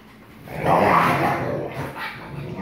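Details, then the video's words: Growling snarl from a 44% wolf father and 56% wolf son at play, recorded 1 August 2018 while the father asserts dominance; one rough, broad rumbling growl swells for about a second and trails off. "Growling Snapping Father (#AstroboyRen) 44% Wolf & his Son (#KandorSweetpea) 56% Wolf"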